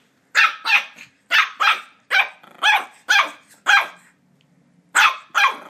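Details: Border Terrier puppy named Ollie barking while attacking a squeaky toy: sharp, high, yappy barks in quick pairs and singles, nine across the stretch, with short silent gaps between them.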